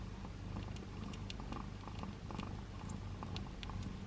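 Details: A tiny newborn ginger kitten, the last born of its litter, gives one of its first purrs, a steady, low, even rumble like a tiny motor.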